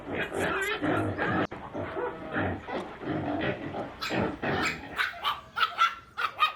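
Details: Puppies playing outdoors with their mother in a toy tug-of-war, giving a busy jumble of small growls, yelps and barks that overlap throughout, ending in a few sharper higher yips.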